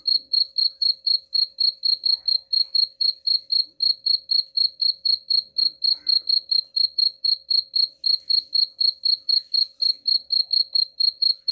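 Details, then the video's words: Steady cricket chirping, used to repel rats; sharp, high-pitched pulses follow one another evenly about four times each second with almost no other sound behind them. "suara jangkrik pengusir tikus ampuh"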